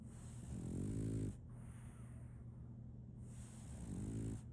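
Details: A sleeping French Bulldog named Solaimy snores: two low, rumbling, harmonic snores about three seconds apart, with a steady low hum of breathing between them in a quiet room.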